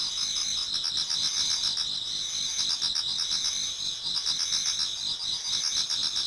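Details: Toward dawn in autumn, numerous insects sing in a Japanese garden; continuous high ringing trills overlap with pulsed chirping roughly four times a second, the chorus swelling slightly midway.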